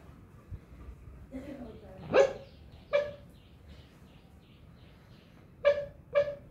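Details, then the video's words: Dog barking in its sleep while dreaming: soft, muffled single woofs, short and spaced about a second or more apart, with a faint whine early on over quiet room hiss. "dog barking while dreaming"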